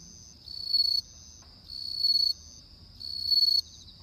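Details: On an autumn night a bell cricket gives three clear, bell-like ringing chirps, each swelling to a bright peak, spaced roughly every one and a quarter seconds, with quiet gaps between.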